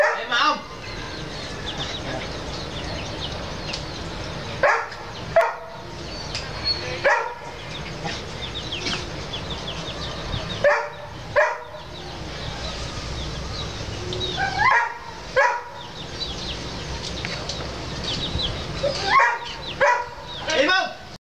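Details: A two-month-old pug puppy gives short, high squeaky yelps and whimpers in scattered bursts, several seconds apart, over a steady hiss of background noise.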